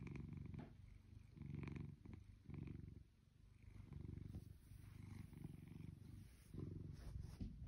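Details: A lazy blue British Shorthair cat, almost two years old, purrs steadily, a low rumbling throb rising and falling with each breath.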